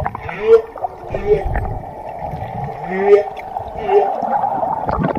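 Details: Whale calls: four short upswept tonal notes spaced about a second apart, over steady murky watery noise and gurgling.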